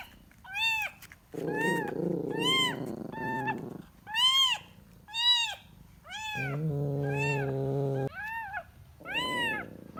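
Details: Kitten looking for its mother, repeating high arched meows about once a second. Two longer, lower, steady droning cries overlap the meows, and a soft background hum runs throughout.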